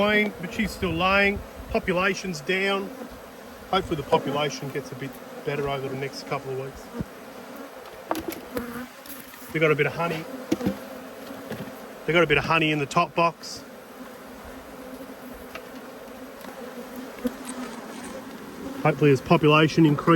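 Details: Cross honey bees swirling around two hives being inspected in March 2022: repeated loud, pitch-bending buzzes of bees zooming close by, in clusters every few seconds over a continuous low hive drone.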